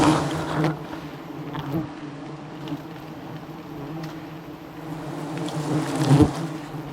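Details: Wild honey bees swarming aggressively as a jungle honey hunter harvests without safety gear; steady low droning hum rising and falling in loudness, with a few sharp knocks near the start and end.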